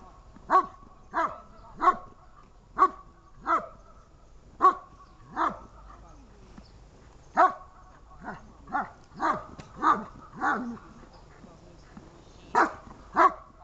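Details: Dog barking during protection training, sharp barks repeated about every half second to second, a steady series of short loud woofs with brief pauses, little else heard.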